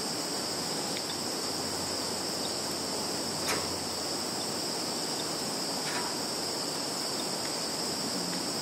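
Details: In a field in Kaluga region, Russia, on 11 September 2019, insects produce a constant shrill ringing drone, steady throughout, broken only by a couple of faint clicks; recorded on a Samsung Galaxy phone.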